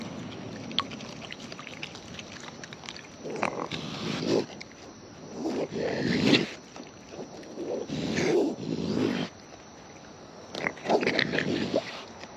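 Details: Close up on wild raccoons feeding: loud, wet, broadband munching bursts about a second long, repeated irregularly around twenty times a minute, with sharp clicks between them and a low, steady outdoor hush.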